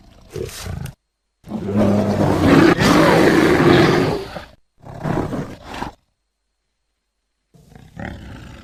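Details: A single long, grating bear roar of nearly three seconds, preceded by a short growl and followed by a briefer rasping burst, then silence and a faint final grunt.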